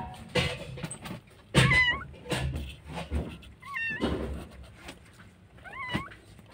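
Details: Stray cat in Jakarta, Indonesia, where homeless cats and kittens living on the street are fed daily; short high rising-falling meows, three of them spaced through the clip, amid thumps and handling noise.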